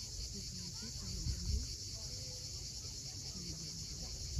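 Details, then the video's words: Crimean coastal cicadas at sunset, Cape Fiolent: an even, high-pitched hissing drone without pause, set against low wave rumble and a few faint short tonal notes. "Cicadas at sunset."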